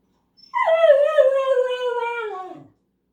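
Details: Male pet dog left behind while others go to the mailbox, giving a single drawn-out, theatrical howl-whine: a sharp onset, then a steady wavering tone gliding slowly downward for about two seconds and fading into a low grumble.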